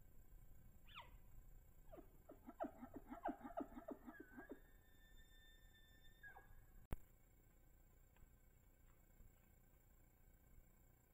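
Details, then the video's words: Bull elk in rut on public land in Idaho, chasing cow elk, caught by a cellular trail camera. A high whistle rises sharply, then a burst of rapid grunting chuckles follows, then a falling whistled tone. A sharp click comes near the end. "Bull Elk Bugles"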